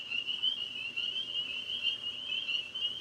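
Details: At night, tree frogs in maple and apple trees near a pond form one continuous, high, shrill chorus. Many voices blend, so the sound swells and fades slightly but never breaks.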